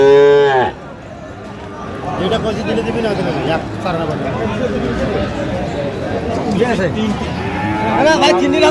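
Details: Sahiwal bull calves at a cattle market in Munshiganj, Bangladesh, on 9/8/25: a loud, harmonic moo opens the recording and breaks off within a second, followed by crowd chatter, bargaining voices, and scattered fainter lowing.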